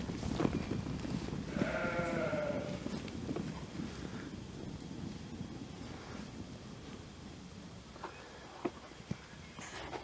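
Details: Jura sheep around a year old, kept in a flock with a breeding ram for a few days, grazing by day and stabled at night; a single quavering bleat near the start, then quieter rustling and scattered knocks.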